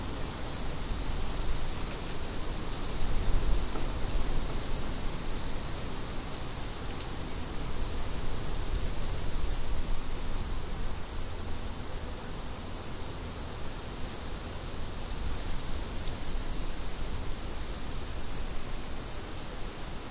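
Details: Crickets chirp in a steady, unbroken high-pitched trill that holds at one pitch throughout, while gusty wind rumbles low underneath and swells briefly near the start.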